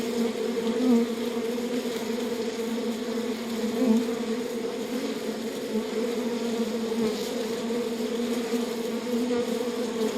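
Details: Honey bees inside a beehive make a steady, dense, low buzzing hum that stays even throughout, with small swells in loudness and faint crackling over the drone.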